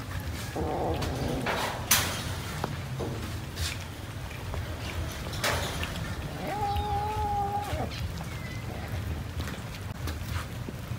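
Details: Cats eating rice; one drawn-out, level meow with clear harmonics lasts about a second and a half near the end, set against a constant low rumble and scattered clicks and knocks.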